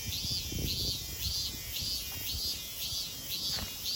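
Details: At Kozoji Temple, the Takazo Kannon in Yana, Kisarazu, Chiba, Japan, cicadas give rhythmic high pulses, each a brief swelling whine, about two per second, backed by a continuous hiss and soft scuffing sounds.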